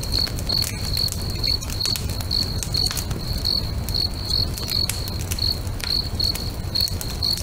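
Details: Repeated shrill cricket chirps, about two per second and very even, ring out near a lake at sunset as a bonfire crackles and pops against a low rumble.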